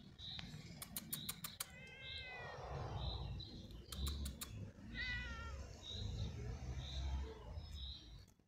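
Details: A cat sitting on a tree stump outdoors at dusk gives two drawn-out, harmonic meows, the second slightly rising then falling. Steady high chirping from small creatures repeats in the background, with a few sharp clicks and low rumble.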